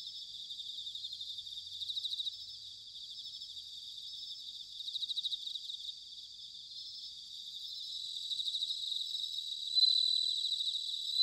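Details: Autumn night chorus of bell crickets from Sanuki, Chiba, Japan: layered high ringing trills, with short bursts of faster pulsing every couple of seconds and a louder clear ring near the end.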